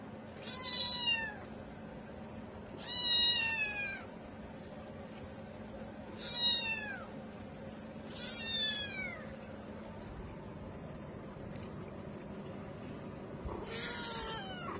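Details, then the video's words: Cat meowing repeatedly indoors, five loud, drawn-out meows spaced two to three seconds apart, each starting high and sliding downward, the last one harsher, over a faint steady hum. "Funny and Cute Cat Video. Meowing Meowing"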